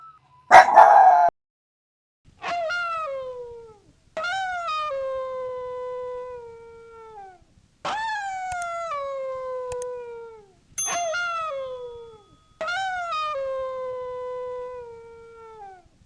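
A Yorkshire Terrier howls in a series of drawn-out, wavering notes that sag in pitch.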